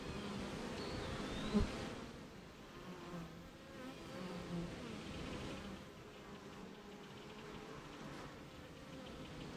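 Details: Buzzing honey bees at their hive in the rain, amid nearby gardens and fields; a steady low drone with a sharp louder pass of a single bee early on, then softer, even humming with faint higher whines.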